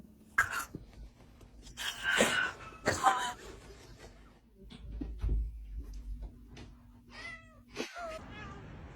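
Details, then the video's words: Domestic cats making weird meme-like noises: a few short, strained meows and a wavering cry near the end, mixed with people talking to the cats indoors. "Weird Cat Noises That Sound Like Memes"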